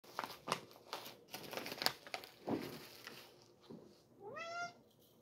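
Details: Sir Titan, a pet cat, indoors while going crazy for catnip, gives one drawn-out harmonic meow near the end that rises and then falls. Earlier, scattered clicks and handling noises fill a small room.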